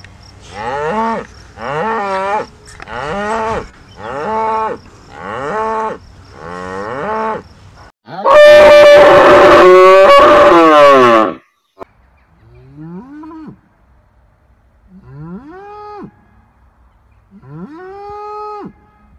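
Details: Cows on a village dairy farm in the countryside moo in a run of short, harmonic calls, then a louder, harsher drawn-out bellow.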